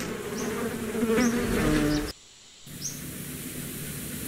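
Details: Bee buzzing, a dense, low droning hum that cuts off briefly into silence and then resumes more softly, with a few faint high chirps scattered above.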